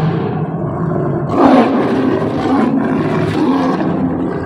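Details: Tame Bengal tiger roaring, presented as anger; a loud harsh roar bursts in after a second and rumbles on over steady low background sound and music.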